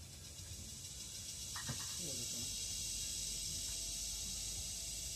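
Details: Philippine cicada (kuliglig) calling in forest, a steady loud high-pitched shrill drone running unbroken through the whole stretch, with a brief faint voice-like sound partway through.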